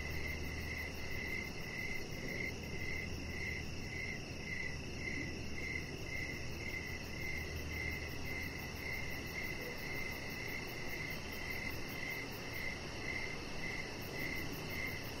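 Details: Outdoors on a deck in the evening, crickets keep up a regular train of clear, high chirps roughly two per second, with a steady low hum and outdoor hiss underneath.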